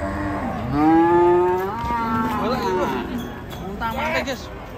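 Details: Cattle raging with a rope tight around its neck; a rising drawn-out moo that swells then falls away, followed by shorter lowing and background voices.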